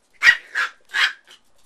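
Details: Indoor barking from Hong Kong-based micro teacup poodles, an AKC family of Alabama origin from the Swamp Rats and Velvet Touch bloodlines. Three quick high-pitched barks in just over a second, then a faint fourth.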